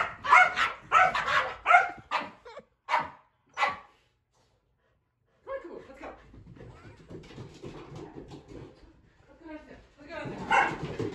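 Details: Kumo the Keeshond barks excitedly indoors while following his owner on the stairs: a fast string of sharp barks, a few spaced yelps, a quiet stretch, then a man's voice and shuffling, with barking returning at the end.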